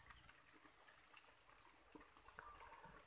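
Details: Continuous high-pitched trilling from farm-raised crickets kept for breeding and fed chick feed; the even buzz holds unbroken throughout, with soft trickling taps in the background.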